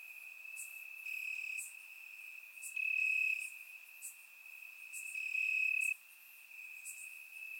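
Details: Night chorus of crickets in Bulgarian grass on a warm summer evening, captured in surround sound; a continuous high trill that grows louder around three and five seconds, overlaid by scattered sharp ticking notes.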